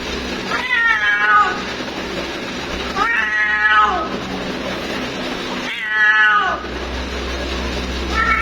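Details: Calling for her mate, a female cat gives three strong, harmonic meows roughly every two and a half seconds. Each one is long and wavering and falls at the end, over a low constant hum.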